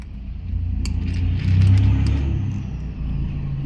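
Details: A low vehicle rumble, like a car engine, with no animal calls.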